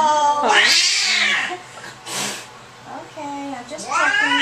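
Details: Domestic cat angry at the vet, indoors on an examination table: a loud rising-then-falling yowl, a brief noisy burst, then a quieter moan swelling into another harsh wail, with speech in the background.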